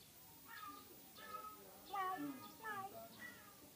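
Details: A very sick cat gives a series of five short, strained meows about every 0.7 seconds, each with a brief rising-then-falling tone, fairly faint against a quiet background.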